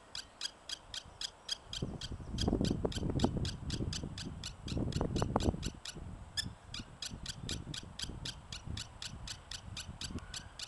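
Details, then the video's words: Prairie dog taking exception to the person nearby, giving rapid high chirps about four per second without pause, while low rumbling wind or handling noise swells in the middle. "Prairie Dog taking exception to me"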